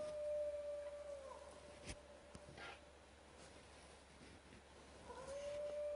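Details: Howling of wild dogs near a camp, one long steady mid-pitched note held almost throughout, dipping briefly, with a few faint clicks and rustles behind it.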